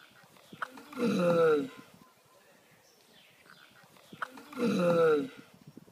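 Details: Giant land turtles mating up close, the male giving loud drawn-out groaning calls, each about a second long with a strained, wavering tone, two calls separated by roughly three seconds of quiet with soft shuffling.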